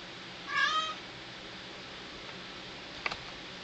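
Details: ['A castrated male pet cat utters one brief, slightly wavering meow, then quiet indoor stillness and a faint tap.']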